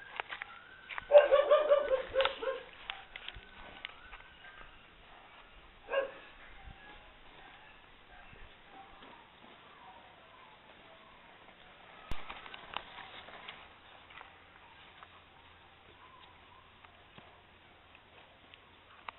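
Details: Maremma Sheepdog puppies, 11 weeks old, playing with their mother in a garden in September 2012; a burst of high, harmonic yelping barks early on, a single sharp yelp a few seconds later, then softer scattered yips over quiet background.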